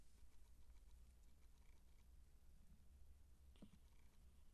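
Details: Siamese kittens, 19 days old, purring: a soft, steady low rumble that runs through the whole stretch, with faint scattered rustles and a brief louder scratch near the end.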